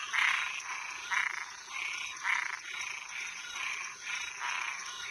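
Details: Nighttime chorus of toads and tree frogs, with raspy pulsed croaks lasting about half a second each, following one another almost without pause over a constant high-pitched background drone.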